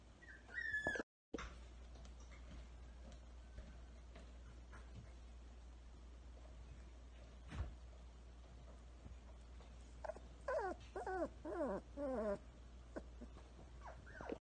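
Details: Toy Pomsky pups, Bud and Bunny, from the Jasmine and Shang litter, whimpering indoors: one brief high falling whine at the start, then a quick burst of short, descending, nasal whines late on, against a quiet room.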